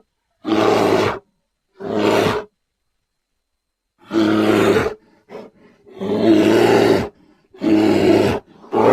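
A grizzly bear gives deep, rasping roars in short bursts, each lasting under a second.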